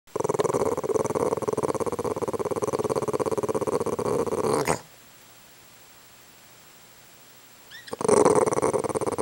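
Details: Mozart the dog growls at flies he is mad at: a continuous rough, pulsing rumble lasting nearly five seconds, then a pause of about three seconds before the growling starts again loudly.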